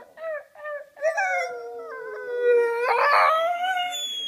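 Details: Blue English Staffordshire bull terrier howling along to its owner's singing: two short yelping notes, then a long sustained howl that sinks slightly, then swells louder and rises in a strained tone near the end.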